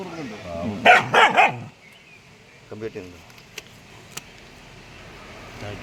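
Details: Dog caught in a pig trap; a burst of three loud, harsh yelps within a second, then two fainter yelps, followed by sharp clicks and quiet background noise.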